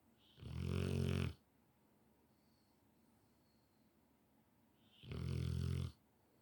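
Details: Rottweiler dog snoring noisily while fast asleep indoors; two long, low, buzzing snores about four seconds apart, each rising from a breathy start into a vibrating rumble.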